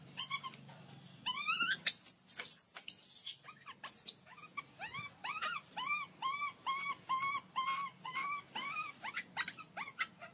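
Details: Hungry baby monkey crying so loudly to ask for milk: a long, rapid series of arched, whining cries, each rising then dropping, about two per second, after a brief high shrieking burst near the start.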